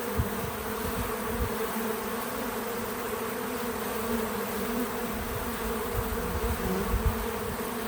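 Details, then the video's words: Several bees at a feeder outdoors on a small farm: continuous overlapping low hum that swells and fades as individuals move around, with a faint steady background hiss. "Relaxing Bees at the Feeder 🐝 | Natural Buzzing Sounds"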